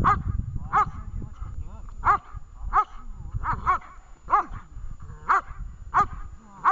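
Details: Vesta, a dog in training at Horlivka on 20 July 2019, gives a run of about ten sharp barks at an uneven pace, some nearly doubled, over low rumbling background noise.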